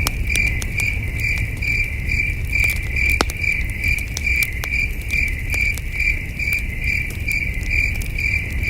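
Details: Crickets at a peaceful campsite on a starry night keep up a continuous high chirping in quick regular pulses, while a crackling campfire adds scattered snapping clicks and a dull low background rumble.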